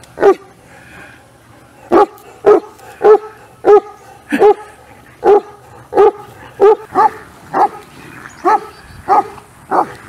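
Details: Deep, booming barks from an Irish Wolfhound, a giant wire-haired companion breed once bred to kill wolves. About sixteen barks come in a steady, insistent run, with short gaps between them.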